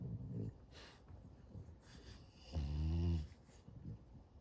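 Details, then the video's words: French Bulldog puppy snoring very loud during an afternoon nap indoors. Quiet, low raspy breaths, then one stronger throaty snore with a buzzing tone near the middle, then soft breathing again. "French Bulldog Puppy Snoring Very Loud on Afternoon Nap"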